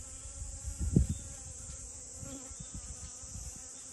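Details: Honey bee at rose moss blooms, giving a low droning buzz with layered overtones, a brief louder rush near the first second, then an even hum over a steady high hiss.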